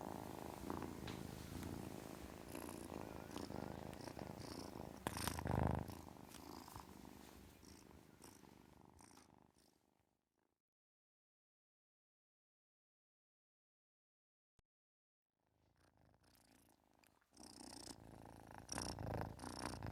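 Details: Kitten purr heard as a low, even rumble for about ten seconds, then near silence for several seconds before the soft purring and rustling return.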